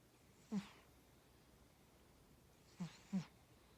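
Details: Tora, a house cat, snores in sleep: three brief snorting breaths, one early and a close pair near the end, each a soft low rasp with a breathy hiss above.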